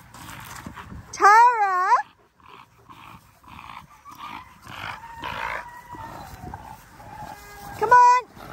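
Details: Outdoor paddock playtime as Linc, a young Australian cattle dog puppy, plays with the big puppies: one loud wavering whine early on, then a brief sharp yelp at the end, with a person calling the dogs throughout.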